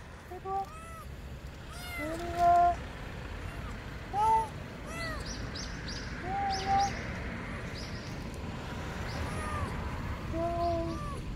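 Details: Lost baby kitten, small as a palm, crying beneath a car: repeated thin, arching meows every second or two, some louder and sharper, with faint background noise and soft human talk.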